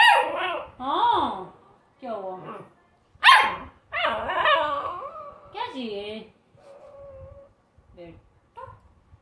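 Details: Pet American Bully pup whimpering and whining in drawn-out, bending cries with strong overtones, trailing off into softer short whines, while a human voice can be heard alongside.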